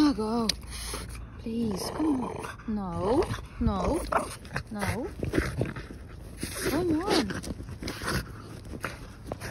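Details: Outdoors on a walk, French Bulldog Margo reacts with excitement to a ball she has found, giving a run of falling, wavering whines and grunts amid a woman's pleading talk.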